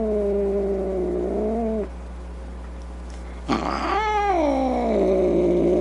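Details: Angry cat producing a wavering low moan, a pause of near quiet, then an abrupt upward yowl that slides down into a long whining growl-moan.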